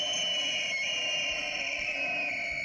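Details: An American elk bugles, a high, sustained whistled tone that slowly falls in pitch, strikingly high for so large an animal, produced by biphonation.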